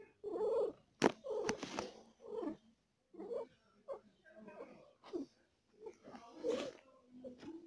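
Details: A female cat giving birth to four kittens and in pain gives short, strained moaning mews indoors in uneven bursts, some drawn out, others clipped, with a sharp click near the start.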